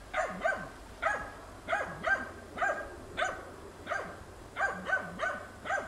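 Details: Tina, a hunting dog, doggedly bays at young wild boar in a training session, March 2013. Rhythmic rough barks come about every half second, some paired, with slight pitch drops at each bark's end and a quiet outdoor background.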